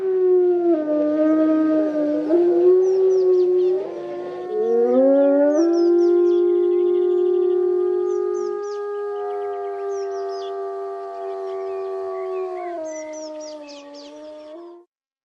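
Several gray wolves howl together, long smooth overlapping tones that slide up and down in pitch.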